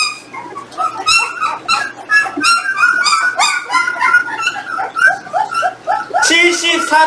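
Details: Eighteen-day-old Jindo puppies whining indoors while being weighed, their parents nearby; a chorus of thin, harmonic squeaks and whimpers tumbling over each other several times a second, with a human voice partly mixed in.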